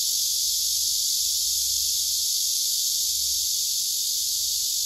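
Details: Loud, steady drone of singing male cicadas, one replying to another, a harsh high-pitched sizzle with no pauses, over a soft low background hum.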